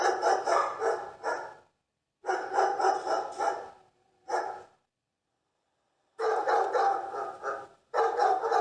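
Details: Dogs barking in quick, harsh bursts of several barks each, with short silent gaps between volleys; a longer run of rapid barking follows a pause near the end.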